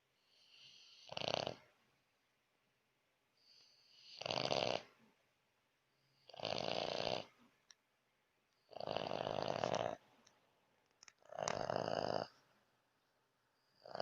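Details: Lakshmi, a French Bulldog, snores at night in a small room: five loud, harsh, rattling snores, each lasting close to a second, repeating about every two and a half seconds, preceded by fainter inhaled breaths.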